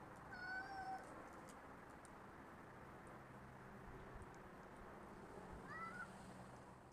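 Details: Rocky the cat outdoors in a backyard on December 16, 2010, giving two short meows, one near the start and another about five seconds later, over a steady low background hum.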